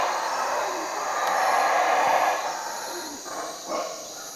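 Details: Belize night at Cotton Tree Lodge, 4 am: howler monkeys outside a cabin give a long, surging guttural roar that peaks midway, then breaks into shorter pulses, with insects buzzing steadily overhead.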